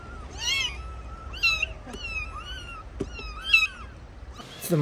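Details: Trapped kittens under rubble calling with short high mews and chirps, overlapping thin whistled cries, a few sharp taps, and a rustling noise at the end.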